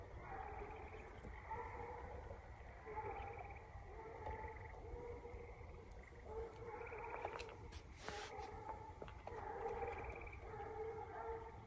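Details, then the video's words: Bluetick and Walker coonhounds treeing a raccoon on a coon hunt, roughly 120 yards off: distant, drawn-out harmonic bawls overlapping one another, rising and falling in repeated bursts of one to two seconds, with steady background hiss. "Treeing Coon"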